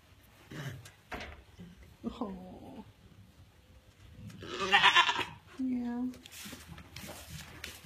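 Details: A heavily pregnant African pygmy goat doe, restless and uncomfortable on her kidding day around 9 am, gives a loud, wavering bleat amid soft human speech; she later kidded triplets; pygmy goat.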